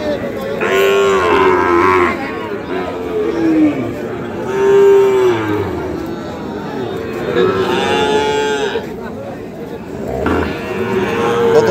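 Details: Sahiwal bull calves raised for fattening, on sale at the Ambari market in Dinajpur district, 24 November 2025, low lowing moos come roughly every three seconds, some rising then falling, amid market murmur and men asking prices.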